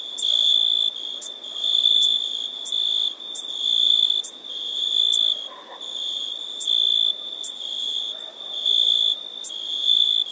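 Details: Sustained high-pitched insect trill repeatedly swelling into loud bursts and easing off over ten seconds, with regular faint clicks and a quiet background.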